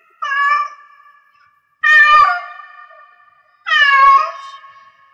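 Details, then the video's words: Three long, strained meows from a cat in heat, spaced nearly two seconds apart, each rich, nasal and slightly wavering before sliding down and fading into a thin lingering tone. "Cat Meow Cat in Heats Sounds"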